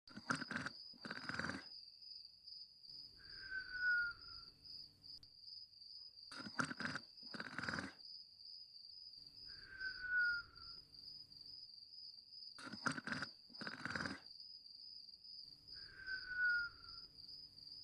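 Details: Dexter the dog snoring: three breath cycles about six seconds apart, each a pair of rough, rasping inhaled snorts followed by a thin, falling whistle on the exhale, over a steady high chirping of crickets.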